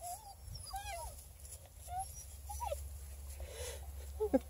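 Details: Coonhound puppies, a redbone and black-and-tan litter from hunting parents, playing inside a car; soft, high whimpers and short squeaky whines scattered through the clip over a steady low engine-like rumble.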